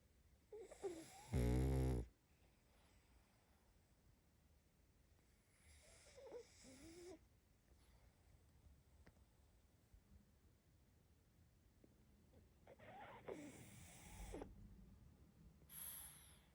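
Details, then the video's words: Pug puppy asleep: one loud, deep, rattling snore early on, then long stretches of soft, quiet breathing with faint snuffles in a calm room. "Малышка мопс спит😴Храп собаки"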